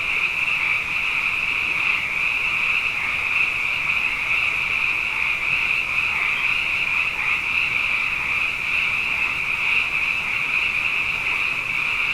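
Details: Frogs in large numbers after two wet years fill the night with an unbroken, high, ringing trill chorus, dense and even, with subtle pulsing within the drone and nothing else standing out.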